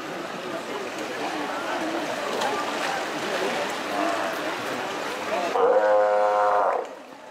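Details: Steller sea lions murmur and growl in a continuous low background chorus until one animal lets out a loud, steady, harmonic bellow lasting about a second near the end.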